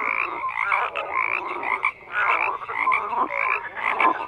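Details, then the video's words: Many frogs croak together in a dense, steady chorus of overlapping raspy croaks and quick pulsed trills, with swells and brief dips in loudness roughly every second. "FROGS CROAKING"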